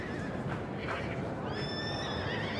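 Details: Three-year-old Welsh Cob colt whinnying: a high, wavering tone that starts about halfway through and holds to the end, over steady rustling background noise.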